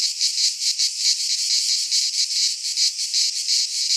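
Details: Cicadas singing in midsummer in a Greek pine forest: a dense, buzzy broadband drone, strongest high up, pulsing in rapid regular throbs several times a second with no other sounds.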